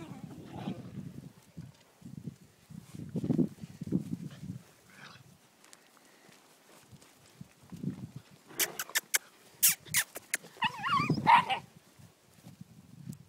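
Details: Three-month-old Whippet puppies, Betti and Jack, playing with four-month-old Ashley: low rough growling bursts come in clusters, then sharp clicks and knocks, and a brief high squealing whine before more low growls.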